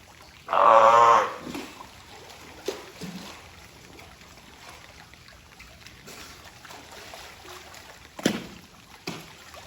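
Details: Taeko, a California sea lion at Ehime Prefectural Tobe Zoo, Japan, on 20 April 2022, lets out a single loud rasping honk near the start, followed by quiet splashing and faint background noises.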